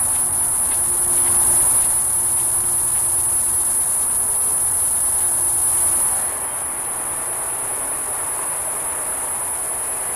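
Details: A cicada gives a steady, very high-pitched whine without a break in late-morning July heat at Batiquitos Lagoon, Carlsbad, California, on 11 July 2015; footage slowed fourfold.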